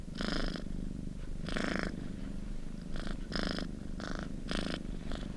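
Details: Soothing cat purr, a constant low vibration punctuated by rhythmic breathy surges, some longer and some quick, arriving about once a second across the stretch, with nothing else audible.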